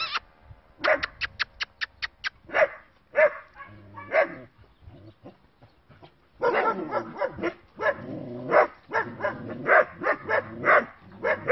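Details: Bicolour and black short-haired working-line German Shepherd puppies giving a quick run of sharp, high yapping barks, a pause with scattered yips, then a dense burst of overlapping excited barks from several pups.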